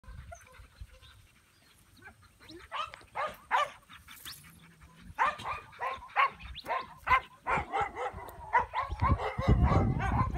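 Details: Started English Pointer from Elhew field lines giving a run of sharp yips and barks, irregular at first and then rapid and continuous, with a rough noisy burst at the end.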